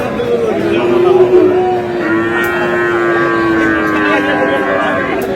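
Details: Sahiwal calf at a busy cattle market lets out one long, steady, drawn-out moo. The moo holds a low, even pitch for about five seconds and sags slightly at the end, over constant crowd chatter and men talking.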